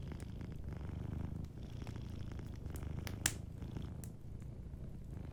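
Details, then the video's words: Deep, unbroken purring from a cat asleep by the fire, the low rumble steady throughout, with only a few soft crackles from the fireplace. "Warm Fireplace Ambience with a Sleeping Cat 🐱💤Fireplace & Soft Purring"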